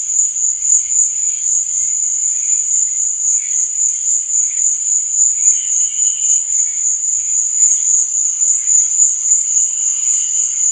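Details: Crickets chirping at night: a steady, very high, shrill trill runs without a break, with softer, lower chirps rising and fading beneath it.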